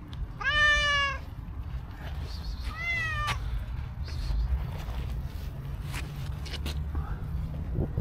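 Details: Stray cat with cow-like coat coming to a person with sweet meows: a loud, level meow at the start, then a shorter, softer rising-falling one near three seconds, followed by faint chirps and ticks over low background noise.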